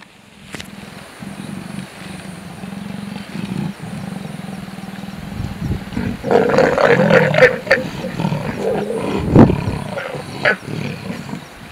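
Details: Pair of leopards mating in the open at dusk in Sabi Sand, Greater Kruger, South Africa, a pair that mates about every 20 minutes over seven days: low pulsing rumbling growl, then louder rasping snarls midway, fading back to growling.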